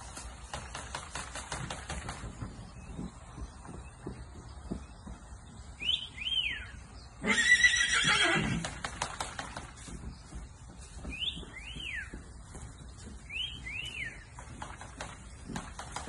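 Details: Purebred Arabian filly born in 2021, in America, lets out a single loud, harsh whinny midway through, amid soft clicks and hoof noise, while small birds add brief, falling chirped notes in several short bursts.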